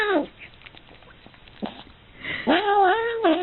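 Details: Domestic cat in a compilation of odd noises: short muffled sounds early on, then two wavering, bending meows near the end with strong harmonic bands.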